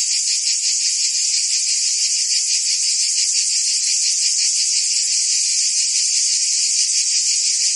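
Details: Cicadas singing together in summer in Provence, France: a continuous, shrill, dense buzzing held at an even loudness throughout, with a faint rapid pulsing inside the drone and no other sounds.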